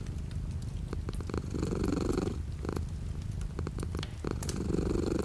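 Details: Cat purring while light rain falls outside: low vibrating rumble that strengthens into a louder inhale-exhale surge, broken by sharp drip clicks over a constant soft rain hiss.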